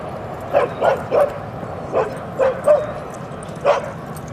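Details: Dog barking at Seal Point Dog Park on the western side of San Francisco Bay, December 7, 2015, during an outing with dogs Rosy and Rocky: seven short, sharp yelping barks in an uneven series over about four seconds, over quiet background hiss.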